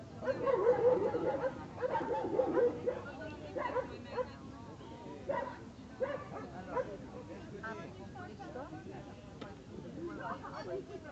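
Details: American Staffordshire Terrier stud male named Attila from Jan's Gate Kennel, 49 cm and 31 kg; a run of quick barks and whines with tonal overtones, dense early then thinning out, with human speech mixed in.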